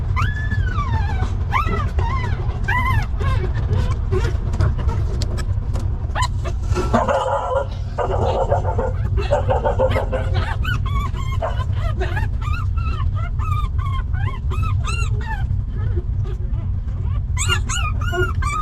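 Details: Stray dogs, a mother with her litter of puppies living rough: high whimpers and yips with arched, rising-then-falling whines, bursts early on and again toward the end, over a steady low rumble and clattering noise.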